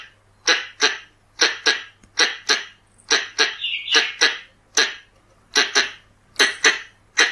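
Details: Pallas's squirrel recorded as a lure: around seventeen loud, grating barks, mostly in pairs, at roughly one per second. Short trilled squeaks appear near the middle, and a low hum persists throughout.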